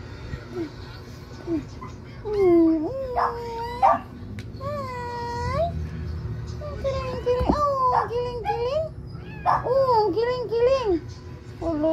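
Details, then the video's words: Three little kittens meowing: repeated high, arching mews, some wavering and bending downward, in scattered bursts with short gaps, while people talk nearby. "3 little cute kitty"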